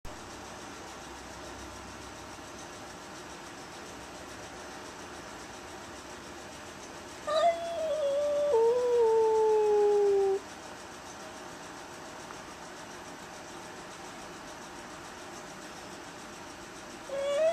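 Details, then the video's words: Velvet, a little black Bombay cat, howls at the neighbour's aggressive cat, an unwanted visitor she has tried to fight through the storm door, tail puffed up. One long wavering howl of about three seconds slides steadily downward, then another begins at the end; otherwise a quiet room. "Little Black Bombay Kitty not happy to see neighbor's cat!"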